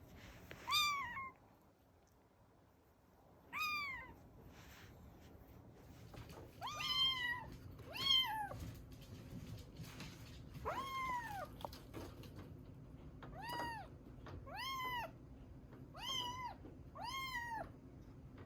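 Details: Series of about ten insistent mews from rescued kitten Ame-chan, estimated three to seven weeks old, Osaka: short, arched calls that come faster toward the end, roughly every second, with a quiet room hum beneath.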